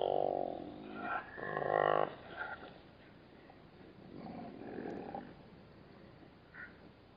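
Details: At a waterhole in the Namib desert, a black-backed jackal disturbed by bat-eared foxes gives loud, rasping harmonic growls in the first two seconds, then softer rumbling snarls fading over steady hiss.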